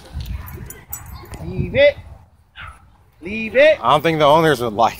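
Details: Dog yelping during a dogfight at a dog park between a Doberman and a Belgian Malinois, with an e-collar correction; muffled talking first, then high, wavering harmonic yelps and whines in a cluster of bursts over the last two seconds.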